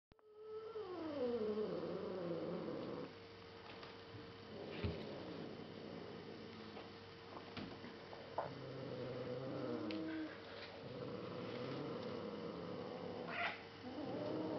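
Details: Younger sister cat growling at her older brother, a black cat, indoors. Wavering, drawn-out harmonic growls slide down in pitch over the first seconds, then quieter rumbling and another falling growl near the end, over a steady electrical hum.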